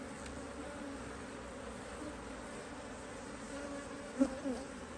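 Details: Honey bees at an Australian-designed Hive IQ beehive in Australia, near mid-autumn 2023, hive opened to add a box; a steady low droning hum with a higher overtone, a couple of louder buzzing passes near the end.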